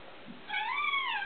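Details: Pet cat upset at a small bug on the wall indoors utters a single drawn-out meow that rises then slowly falls, over faint room background.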